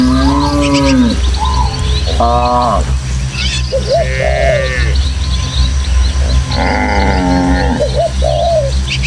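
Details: Dozens of tame village cattle running joyfully as a herd along footpaths through hilly countryside toward their pen; several drawn-out, arching moos, some low and some higher, over a steady low rumble of breeze, with faint bird chirps.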